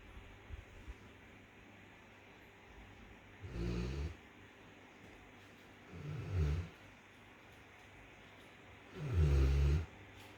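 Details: A Rottweiler lies flat out asleep after a hard day, snoring in three deep, rumbling pulls spaced about three seconds apart.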